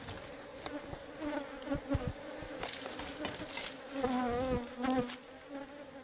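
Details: Honeybees swarming at a wild hive under harvest in the forest give a dense, fluctuating buzz whose pitch wobbles up and down, mixed with knocks and rustling from handling.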